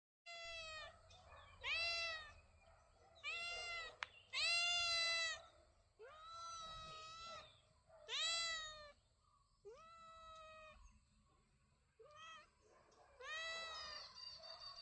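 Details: Domestic cat meowing repeatedly, about nine clear tonal meows, each rising then falling, some drawn out and strained, spaced one to two seconds apart, with a quiet low hum underneath.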